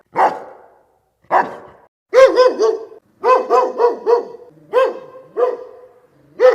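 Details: Dog barking in clear, ringing bursts, single barks at first, then quick runs of three or four barks in a row, with nothing else audible.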